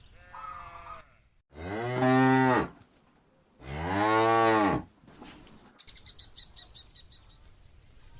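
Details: Cow on a farm calling its friend to come home, two long deep moos about a second each, a fainter higher call before them and a rapid clicking or rattling sound at the end.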